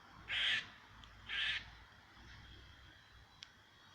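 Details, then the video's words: Squirrel calling toward a cat, giving two quick, raspy, noisy bursts about a second apart, followed by quiet background and a single faint click. "Squirrel making funny noises"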